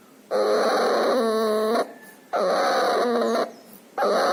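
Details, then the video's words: A puppy with pneumonia, distemper and nasal discharge breathes noisily: drawn-out, whining wheezes lasting over a second each, in a steady rhythm broken by brief silent gaps. "Puppy has pneumonia and distemper. Loud breathing noise and nasal discharge."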